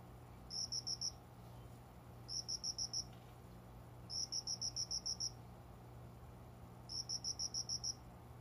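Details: An unseen cricket, indoors among windowside plants past five in the morning in summer, gives four evenly spaced trains of seven or eight shrill, bell-like pulses roughly every two seconds, with a quiet low room hum beneath.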